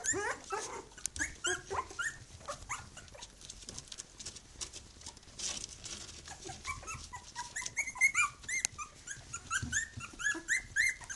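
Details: Three-week-old Khyi-Mi puppies of the B litter with their mother Bhoomi, loudly vocal: overlapping high squeaky whines and yelps from several pups, dense and continuous.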